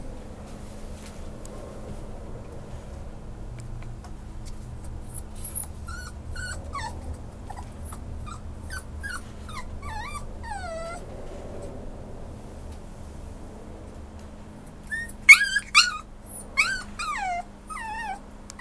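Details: Whimpering from a male Schnauzer up for adoption: quiet, scattered falling whines and squeaks early on, then a louder burst of high, plaintive cries near the end against a low constant electrical hum.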